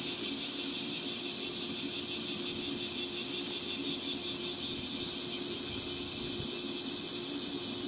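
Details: Cicadas shrilling on a hot 37°C summer morning, 23 July 2026, along a woodland walking path in Gifu Prefecture Hyakunen Park, Japan; a dense, high, pulsing buzz fills the air without pause, with a steady low hum beneath and a slight shift in pitch midway.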